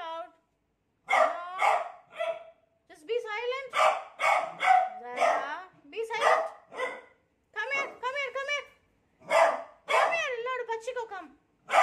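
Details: A beagle reacting fearfully to a new cot mixes loud barks almost continuously with bending, wavering bays and yowls, the two sounds tumbling over each other with few pauses.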